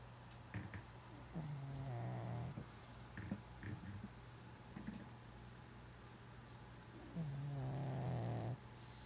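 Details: Sleeping pug snoring with one eye open: two long low rumbling snores a few seconds apart with short snuffles between them, plus a steady background hum.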